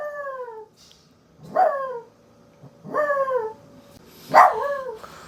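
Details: Female dog howling in reply to her owner making weird noises: four short falling howls with clear harmonics, spaced about a second or more apart, the last one louder and rising first before dropping.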